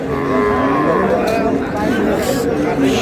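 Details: Sahiwal cows with calves at the Ambari cattle market in Dinajpur on Friday, 20 February 2026; a drawn-out harmonic moo wavers beneath the steady chatter of a crowded market and a man's speech.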